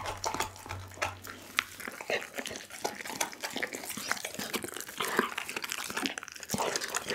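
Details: Doggy the pit bull working through a whole chicken, captured with an Insta360 ONE R: bright, sharp crackles and snaps of bone and flesh packed closely together, with a steady low hum early on.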